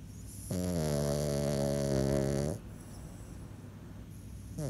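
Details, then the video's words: Sleeping French Bulldog snoring: one long, droning, buzzy inhaled snore of about two seconds with a rich harmonic hum, followed by quiet breathing and the start of the next snore at the end. "French Bulldog Snoring"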